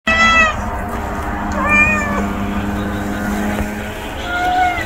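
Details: Hungry stray kitten meowing: three short rising-and-falling mews, one at the start, another near the middle and a last one near the end, over a steady low mechanical hum.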